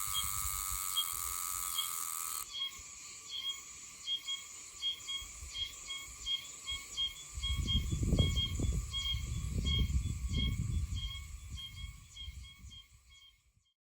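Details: Oshima cicada calling in Okinawa in mid-September, singing off and on: a strong steady buzz of stacked high tones for about two seconds, then a softer run of rapid pulsed ticks carrying on to the end, with low rumbling noise midway.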